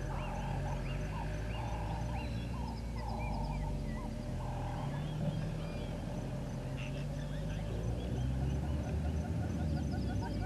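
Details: African wild painted dogs at Gowrie dam waterhole, Djuma Game Reserve, Sabi Sand Wildtuin, South Africa, on 22 April 2020 at 07:23, picked up by a live waterhole camera. Dense chorus of short, high chirps and twitters, overlapping rapidly, over a steady low rumble.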